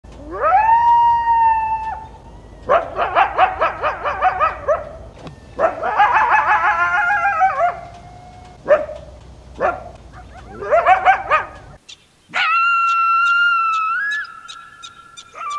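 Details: Coyotes (Canis latrans) howl in rising, wavering tones broken by rapid yips and sharp barks, in the wild and city; their howls serve social purposes, communicating across long distances or reuniting pack members.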